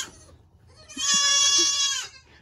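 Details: A loud baby goat during kidding season 2022, in a barn full of noisy kids; a single strong, sustained bleat lasting about a second, rich in high harmonics, with soft background murmurs before and after.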